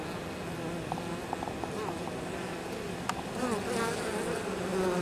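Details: Honey bees at the hive entrance carrying in pollen and likely nectar, 23 October, unusually warm for the season: a soft steady hum with brief clicks, then a nearer bee's wavering buzz grows louder toward the end.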